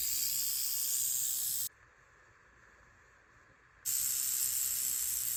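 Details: Speckled rattlesnake rattling: a steady, hissing high buzz that cuts off abruptly for about two seconds of near silence, then starts again at full strength, matching its habit of making noise, stopping and repeating.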